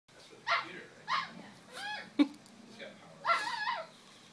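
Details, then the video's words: Nine-week-old male French Bulldog-Pug mix puppy moving around inside a pillow slip indoors, giving three short, high, yappy barks spaced about half a second to two seconds apart, with faint human voices between them. "Frenchie-Pug 9 week old puppy barking"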